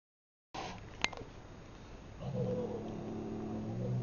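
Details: Baxter, a newly adopted domestic cat, fighting a teddy bear indoors: after a short electronic beep, a low, drawn-out moaning yowl begins midway and holds steady to the end in a small room.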